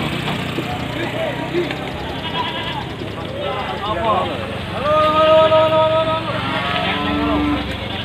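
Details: At Panggul market in Trenggalek, a pickup fully loaded with about 40 Javanese and Etawah goats, mostly females, waits to go to Trenggalek town. Men talk throughout while a strong, drawn-out bleat rises midway, followed by a fainter one, over engine rumble.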